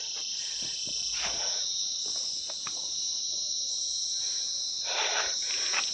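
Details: Hill-forest insects, typical of such woods, on a cloudy day along a hill road: an unbroken piercing high drone that swells and eases, with a few scattered thumps and brushing sounds from walking.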